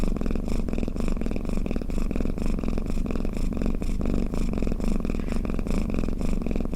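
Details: Low, throaty purring snore from a pet cat, a continuous vibrating drone with regular breath pulses near two per second, quiet surroundings.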